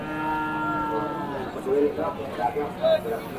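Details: Cattle at the traditional animal market in Masbagik, East Lombok, Indonesia, with both local and imported breeds. One steady, harmonic-rich moo lasts about a second and a half, then fades under background music and people talking.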